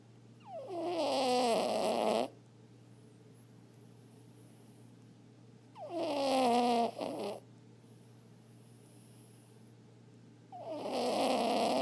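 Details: Sleeping Chihuahua mix, adopted from the pound after being found as a stray, gives big nasal snores: drawn-out tonal breaths that slide downward, repeating about every four to five seconds over a faint steady hum.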